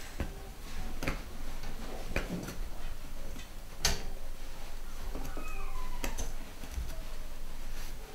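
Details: Litter of pedigree Golden Cocker Spaniel puppies, boys and girls, nine weeks old, at UK breeders; thin descending whines around the fifth and sixth seconds amid clicks, taps and rustling handling noise.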